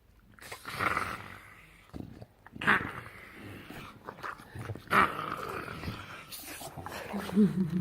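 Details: Pet bulldog making weird gremlin-like noises: throaty, grumbling growls and snorts in uneven bursts, some with brief nasal squeaks, while a person talks to it teasingly nearby.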